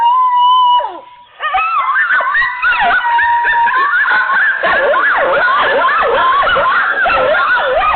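A lone, steady howl opens, then several coyotes join in a frenzied chorus. Sliding, quavering howls overlap with sharp, yodeling yips that bend up and down in pitch.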